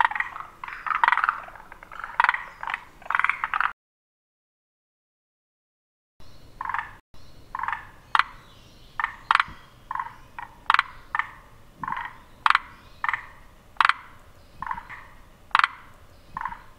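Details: Forest green tree frogs croaking in short throaty bursts, each call pulsed in three parts, after a brief silent gap the calls resume at a steady pace with sharp clicks between.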